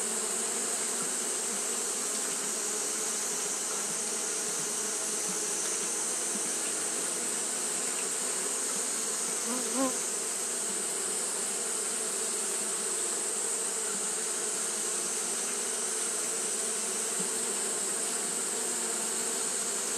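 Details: Steady droning of Japanese honey bees fanning throughout a hot day, the hum holding level for the whole stretch, with one brief rising buzz near the middle and a persistent high hiss behind it.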